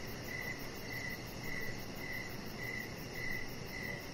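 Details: Outdoor evening crickets: about seven clear, high-pitched chirps evenly spaced across four seconds, set over a continuous muffled low background noise.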